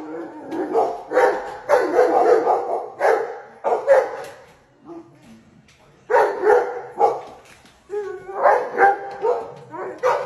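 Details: Dog barking at a hyena on a television screen: rapid volleys of rough, gruff barks, several per second, pausing briefly around the midpoint, then resuming with more excited, slightly higher barks.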